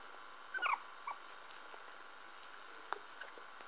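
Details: Parson Russell Terrier puppies: a brief cluster of shrill squeaky whimpers, a single short squeak a moment later, then quiet with only faint rustles and a constant low hum.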